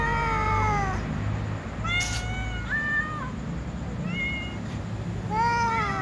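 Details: Tom cat and white cat with other cats, meowing while asking to be fed; several drawn-out, harmonic meows, some rising then falling, overlapping from more than one cat, with a constant low hum beneath.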